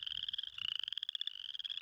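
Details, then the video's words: A male spring peeper, throat sac swelling hugely, sings to a listening female at a small pond in early spring. A continuous, piercing, pulsed trill shifts slightly up in pitch midway. "Spring Peepers Calling And Looking For Mates"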